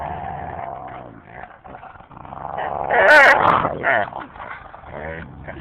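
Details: A husky and a boxer at play, the husky pestering the boxer while she tries to sleep on a lap: drawn-out whiny, groaning vocal sounds rising to a loud yelping burst midway, then softer whines.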